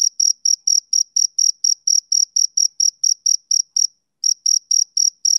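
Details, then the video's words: Summer-evening chirping of a male cricket, high pulsed notes about four per second, with a brief pause near the end before the rhythmic chirps resume; nothing else audible. "Cricket Chirping Sound Effect"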